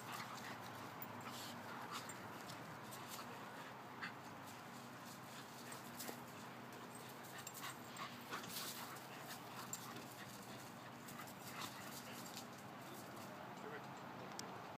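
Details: A Mini Poodle and Wheaten Terriers at play, giving scattered short, harsh bursts and whimpering noises over a steady, hissy background, with no clear single bark standing out.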